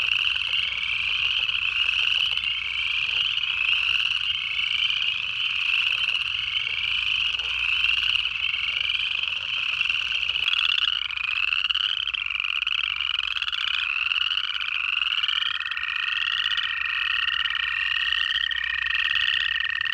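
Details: January frog chorus from Georgia's Piedmont: many native frogs give short upward-sweeping calls in quick succession, the notes growing more distinct after ten seconds, and a steady high tone appears near the end.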